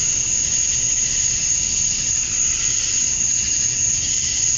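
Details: Cicada chorus at dusk on a Georgia, USA summer night, males chirping for females; a constant high, hissing buzz with a thin sustained whine, gently throbbing, no other sounds.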